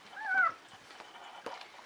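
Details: Newborn Czechoslovakian Wolfdog puppy, the first born to Orizon and Rahan at a breeding kennel on 21 November 2020, in a litter of five females. It gives one thin, high, slightly falling squeal, then quiet rustling and a soft knock.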